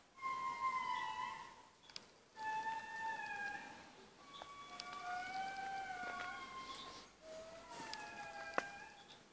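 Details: An indri at Analamazaotra National Park, Madagascar, gives long, eerie wailing notes, pure and flute-like, some held steady and others gliding up or down.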